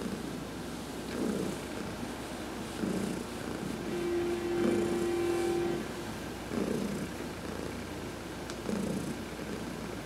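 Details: Domestic cat Heidi, adopted, purring through a massage in the sun on November 19, 2020; steady low rumbling rises and falls with each breath over ten seconds, joined midway by a faint steady hum.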